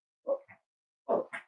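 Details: Cavalier King Charles Spaniel puppy indoors, raised at a home as an emotional support animal, gives two short yipping barks about a second apart, each a quick rough burst with a fainter follow-up note.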